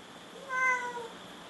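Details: Cat giving a single clear meow, about half a second long, tonal and slightly falling at the end, in a quiet room.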